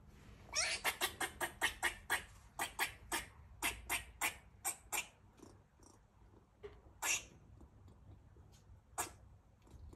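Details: A rescued female squirrel in heat gives mating calls: a rapid series of sharp, harsh barks, several per second, trailing into sparser chucks, while also eating her food.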